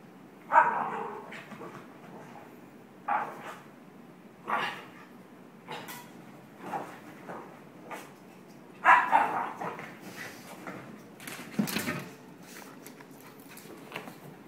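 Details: A pet dog that suddenly turned hyper, running around and barking all over the place: sharp single barks come in bursts every few seconds, louder doubled barks near the start and middle, with thumps and scuffling between.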